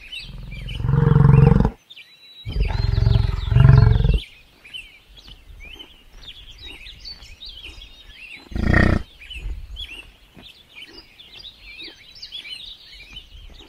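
A buffalo gives two deep, rumbling bellows, then a shorter grunt, while small birds chirp behind.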